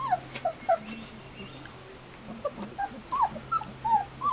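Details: Standard Poodle puppies at three weeks old, on their first day outdoors after their first mouthfuls of puppy gruel; scattered short high whimpers and squeaks, some bending downward, over a low steady hum.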